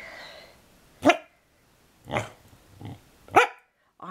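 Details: A female Corgi gives a series of short, rough, harmonic yowls and grumbles about a second apart, "talking" to say "I love you" for a treat instead of rolling over.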